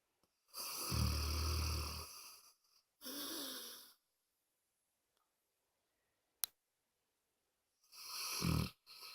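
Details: Loud snoring from Moses the pet dog: a deep rasping inhale followed by a shorter breathy exhale, a quiet gap broken by a sharp click, then the next rumbling snore begins.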